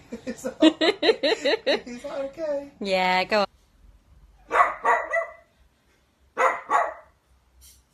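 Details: Pet Dachshund in a small room: human talking at the start, a sustained tonal whine-like cry, then two loud double barks spaced about two seconds apart, with quiet gaps between.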